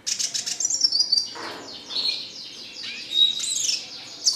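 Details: Red siskin kept as a pet bird, with a fast twittering run, a dropping slurred note, then high buzzy whistles and a rising sweet phrase.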